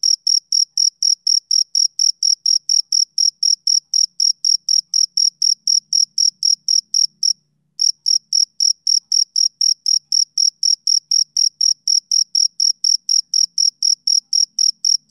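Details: Male cricket chirping on a summer evening: steady, high, shrill pulses, about four each second, pausing once briefly midway before resuming the same even rhythm. No other sounds are heard.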